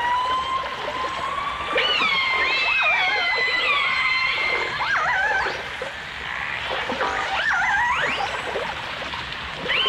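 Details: Dolphins and orcas in a 1989 stereo underwater recording: a long rising whistle followed by wavering, siren-like tones and quick upward sweeps, several animals overlapping above a background of water noise and crackle.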